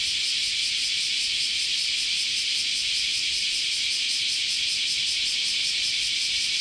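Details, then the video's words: Summer cicada chorus at Kyoto's Chionji Temple, Japan: a constant piercing high buzz with a faintly pulsing, shimmering texture, sustained without pause. "Sounds of Japanese Summer, Continuous Chorus of Cicadas"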